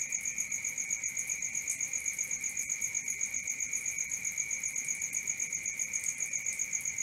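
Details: Crickets calling at night with a rapid, regular pulsed chirp near four per second and a lower sustained whine, steady throughout.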